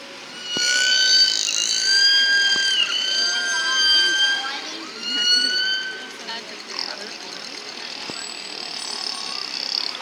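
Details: At a SeaWorld San Diego killer whale show on 23 March 2017, killer whales give high, rich harmonic whistles and squealing calls that rise, fall and bend, made with their blowholes, with crowd murmur behind; each pod has its own dialect.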